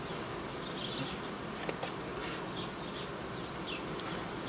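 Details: Honey bee colony sound from an apiary where five young colonies were made with new queens: an unbroken, rich buzzing drone with faint passing higher swirls and a couple of small clicks midway.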